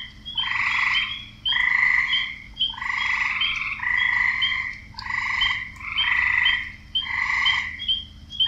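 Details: Male frogs croaking to attract females: buzzy, banded croaks of about half a second, repeated roughly once a second, with several callers overlapping over a faint low hum.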